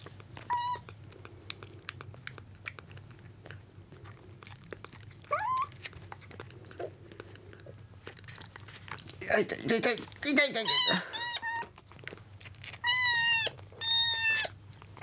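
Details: Rescued kittens, found soaked on a road and on their second day in care, compete for milk indoors; a few high, thin harmonic meows come among chewing and clicking sounds, with a burst of human speech in the middle.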